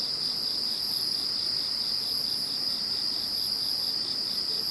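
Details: Insect voices after the passing of Typhoon No. 21, a dense, constant chorus of a shrill continuous tone over quick rhythmic pulses, with a thin high shimmer rising and falling.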